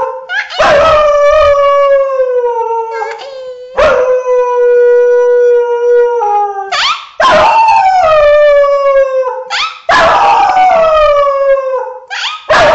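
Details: A 6-year-old female Thai Bangkaew dog howls in long, wavering notes that slide downward, broken by short yips.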